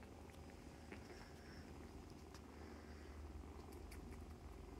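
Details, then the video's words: Nursing foster kittens with their mother cat; a low, even purr hums under scattered small clicks and rustles from the litter moving about. "Kittens Nursing, Purring, Playing"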